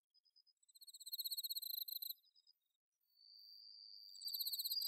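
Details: Bell crickets on an autumn night, recorded in rice paddies at Inba Marsh, Chiba, Japan, with a Zoom H6: bright, high, rapidly pulsed trilled phrases, then a long sustained ringing tone and a new trilled burst.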